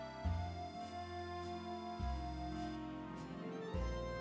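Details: Soft, slow instrumental music with sustained low notes and gentle plucked tones; no animal sounds are heard.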